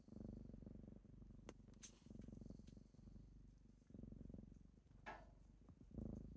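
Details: Morning kittens purring close up while waking their owner; deep, strong rumbling purr in long breath cycles, with brief rustles and a soft scrape between phrases.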